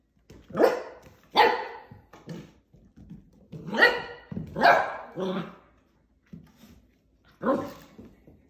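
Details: Portuguese Water Dog puppy playing with plastic bottles, giving about seven short, rough, harmonic barks and yips at irregular intervals, some rising sharply at the onset, with quieter gaps between bursts.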